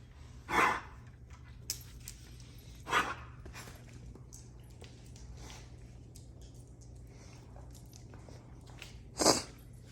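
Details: A Weimaraner gives three short, harsh, breathy coughs, spaced irregularly over several seconds; the owner finds the coughing weird.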